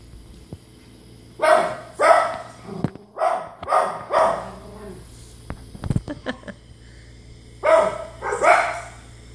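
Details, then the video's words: Pet dog Izzy reacting to dogs shown on TV indoors, giving a run of about eight sharp barks in quick bursts, a short pause, then two more barks, over a low electrical hum. "Izzy barking at You Tube dogs on TV"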